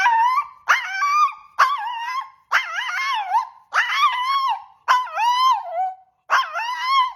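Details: Dog 'talking' in a vocal performance: seven drawn-out, wavering howl-like calls with yodelling pitch bends, each lasting about half a second to a second, separated by brief pauses.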